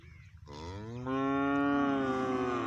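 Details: Friesian heifer up for sale gives one long, drawn-out moo. It starts rough and breathy, then settles into a loud, steady, harmonic lowing that lasts about two seconds.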